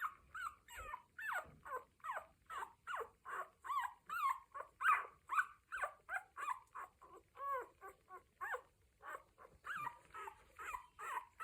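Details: One-week-old Cocker Spaniel litter calling: steady train of brief high squeaky whimpers, about two per second, each bending up then down in pitch, continuing without pause through the recording.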